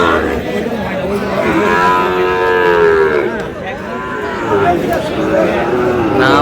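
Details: At Aftabganj market in Dinajpur, Bangladesh, Sahiwal bull calves being traded on 25 July low repeatedly; long arching moos overlap one another amid a noisy crowd of talking buyers and sellers.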